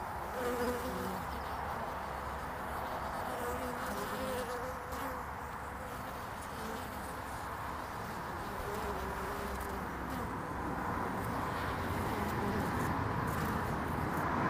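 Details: Honeybees busy on the landing board of a hive in early spring, February 2019: an even, dense buzzing hum from many flying bees, single passing wingbeats rising and fading over a low continuous drone.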